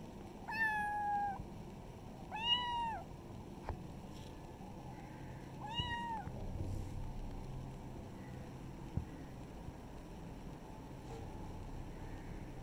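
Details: Village pet kitten meowing three times, each a clear, slightly arched, tonal cry under a second long, spaced about two to three seconds apart. A faint fourth call comes near the end, with low background hum throughout.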